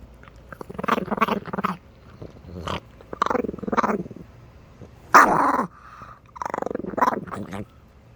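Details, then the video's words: Chihuahua from Minneapolis giving a series of short grumbling growls in uneven bursts, with one sharp, louder yappy outburst midway and more rasping growls after. "STAR WARS SOUND EFFECTS MAKER, CHIHUAHUA"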